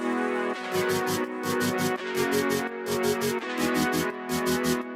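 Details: Electronic music with steady synthesized chords and a regular drum beat; no animal sounds. The beat repeats in short bursts throughout.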